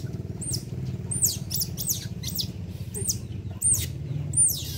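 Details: Young otter being bathed, giving rapid high squeaks that slide steeply downward, several per second and irregularly spaced, over steady low background music.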